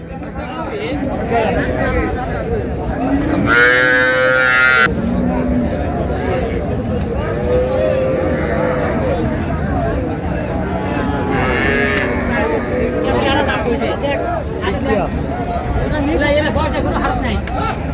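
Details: Cows with calves at the Raniganj livestock hat in Dinajpur, July 2, 2026: a loud moo around the fourth second and a fainter second call near twelve seconds stand out from continuous talk and market din.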